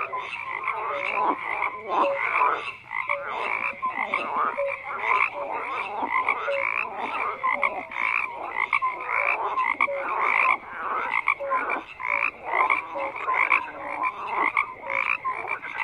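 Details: A thick chorus of frogs croaking, countless rapid rasping pulses piling up continuously, with scattered brief tonal notes standing out over a constant buzzing wall of sound.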